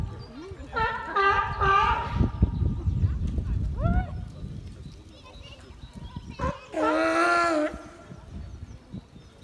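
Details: Harbor seals at Nuremberg Zoo (Tierpark Nürnberg) give loud, drawn-out nasal bleats, each held steady under a second, a few seconds apart with one brief rising note between, over low background rumble and faint voices.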